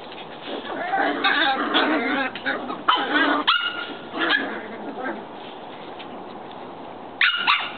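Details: Shetland Sheepdog puppies outdoors giving a run of high, bending yips and whimpers through the first five seconds, then a lull of quiet background before two sharp yips near the end.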